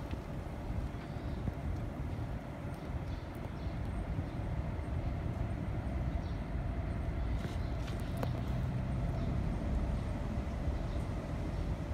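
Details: Steady low rumble of passing rail or road traffic outdoors in hot weather, with faint clicks and no animal voice.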